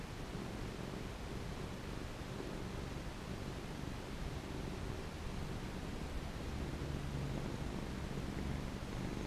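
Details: Pet cat purring while being stroked, a low continuous rumble partly blended into steady background hiss, with gentle rhythmic swells throughout.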